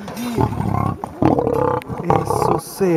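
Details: An aggressive male lion of 400 kg gives throaty, vibrating growl bursts. Three stretches of low pulsed rumbling are broken by short pauses, and voices and a few bright sliding tones are mixed in.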